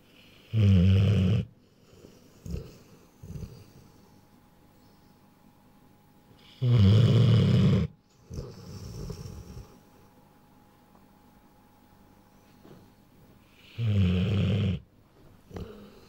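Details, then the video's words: A Rottweiler a little over a year old snores in deep, rumbling breaths, each loud rasp coming roughly every seven seconds. "Rottweiler (Vigo) Snores"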